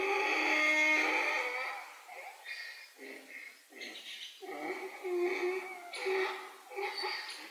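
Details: Canadian black wolves, a she-wolf feeding her pups, 14 June 2024: a long high harmonic whine, then a run of shorter whimpering yelps and squeaky whines rising and falling at an uneven pace, indoors-sounding with no other clear noises.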